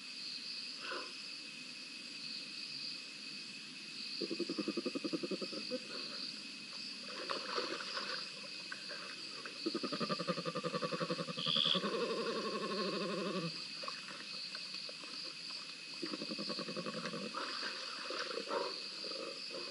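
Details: Two spotted hyenas scrapping at Rosie's Pan, filmed by a live cam on 7 November 2021. Rough, pulsed growling bursts last a few seconds each and recur several times, over a steady high insect buzz.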